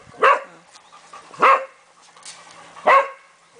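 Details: Cavalier King Charles Spaniel barking three times, single sharp barks spaced roughly one and a half seconds apart, in an otherwise quiet setting.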